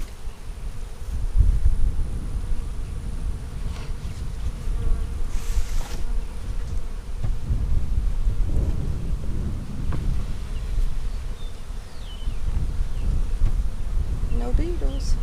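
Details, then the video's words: Honey bees buzzing in a deep, continuous drone during an April 15, 2017 hive inspection of a March 4 split, swelling and easing in waves, with faint high chirps near the end. "Bee Hive Inspection"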